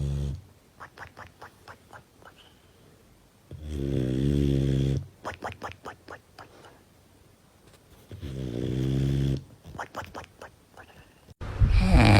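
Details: Sleeping dog snoring loudly: long low rasping snores about every four seconds, each lasting over a second, with soft short puffing breaths between them and a sharp noise at the end.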